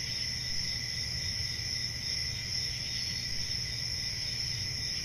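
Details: Crickets calling on a summer night, forest ambience: a constant high, thin, ringing trill that never breaks, layered over a quiet low rumble.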